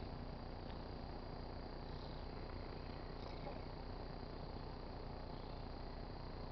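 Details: A pet tabby cat purrs close by while rubbing on a car antenna, a low, steady, rumbling drone.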